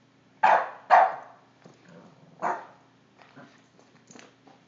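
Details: Boston Terrier puppy, five months old, barking at a cord, phone recording: two loud sharp yaps in quick succession, a third after a pause, then fainter yips trailing off over a low constant hum.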